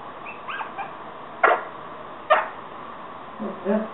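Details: Yorkshire Terrier puppies giving two short, sharp yips about a second apart, with faint high whimpering squeaks before and after them.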